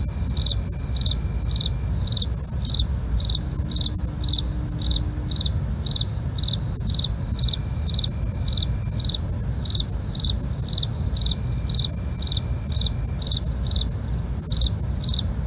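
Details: Long run of night cricket chirps, high-pitched and rhythmic at about two per second, over unbroken shrill trilling of other insects and a low, steady rumble.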